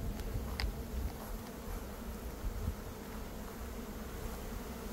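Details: A honey bee swarm is caught in early May after a dearth. A low, even hum runs under heavy rumbling handling noise, and there is a sharp knock near the start.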